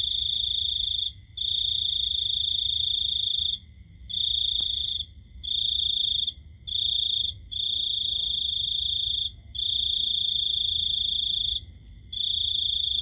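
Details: Cricket calling at night: a steady high-pitched trill in long bursts of one to two seconds, broken by short pauses, with faint low background hum.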